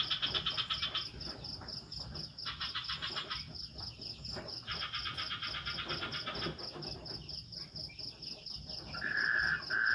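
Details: Crickets chirp in a steady, high, pulsing drone in a swamp at night in an Indonesian village forest, with bursts of frog calls and light rain.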